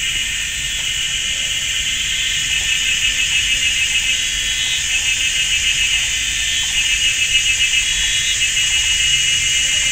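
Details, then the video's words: Cicadas in chorus in a forest at GuanYin Shan, Taiwan, on a sunny summer Sunday afternoon, deafeningly loud: a dense, continuous high buzzing in two bands with a faint pulsing texture, steady throughout. "GuanYin Shan Forest and Cicadas"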